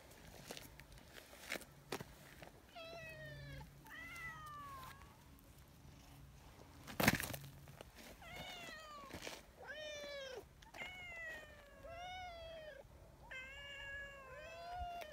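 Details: Nyahha, a friendly brown tabby community cat, rushes to catch up after falling a little behind. A run of about ten tonal meows, each sliding downward, comes in quick bursts, with one loud knock partway through.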